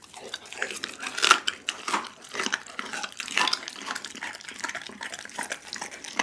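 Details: Pit bull Doggy devouring a whole raw chicken indoors, captured on an Insta360 ONE R: one loud crunching bite early on, followed by quieter, steady wet chewing and crackles.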